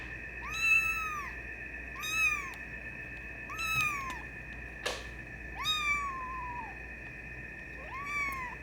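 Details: Silver tabby and white male Maine Coon kitten, 24 days old, indoors, gives six high, arching mews, each rising then falling, spaced about a second apart, with a steady electrical hum and one sharp click behind.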